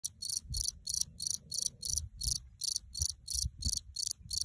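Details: A cricket in the Alps sings a steady run of high, shrill chirps, about three each second.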